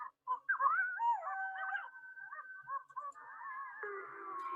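Gray wolves howling together, long wavering tones rising and falling, several voices overlapping at different pitches.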